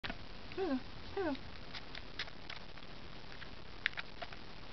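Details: Baby California ground squirrel in care of licensed wildlife rehabilitators, peeping for formula while being hand-fed; two short descending peeps close together near the start, then faint clicks and soft handling sounds over steady hiss.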